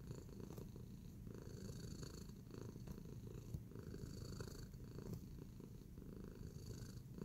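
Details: Low, even purring from Tacy the cat, kneading contentedly indoors, humming on without pause while occasional small clicks and soft scuffs rise over the rumble.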